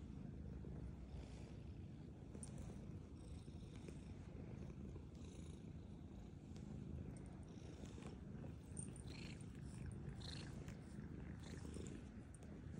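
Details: Black cat purring while eating food, heard as a steady low rumbling throb throughout, with faint clicks and rustles above.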